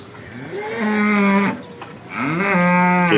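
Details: Local cows of Banaskantha, India, resting at a dairy around five in the morning, one giving two long, loud, tonal moos, each rising then held for over a second, separated by a short pause.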